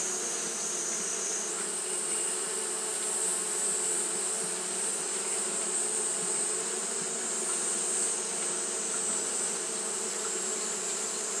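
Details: Constant buzzing hum of Japanese honey bees fanning in hot weather, a thick even drone overlaid by a bright whining hiss, holding level without breaks.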